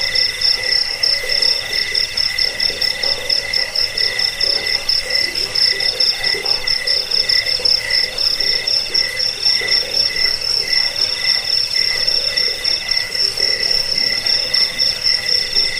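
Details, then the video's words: Cricket chirping, offered as a sound to repel rats, to help with sleep and for training songbirds: a steady high-pitched pulsed trill, about four shrill chirps per second, continuing without pause, with fainter lower tones beneath. "Suara jangkik pengusir tikus pengantar tidur"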